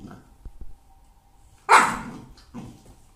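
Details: Boerboel puppy letting out one loud, harsh, broadband bark that fades over about half a second, then a shorter, softer bark a moment later, with a few faint knocks and quiet background before it.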